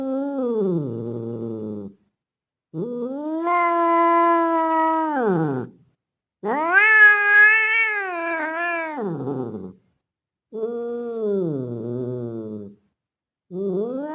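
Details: A Bengal-looking male street cat giving its mating call to a female in heat. Sustained, even yowls lasting two to three seconds each sag at their ends and are broken by short silences. One cry in the middle rises louder and harsher.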